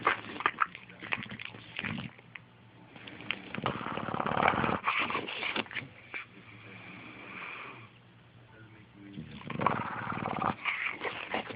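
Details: An English Bulldog, sleeping lazily in the morning before waking up, snores in rough, rasping, uneven breaths.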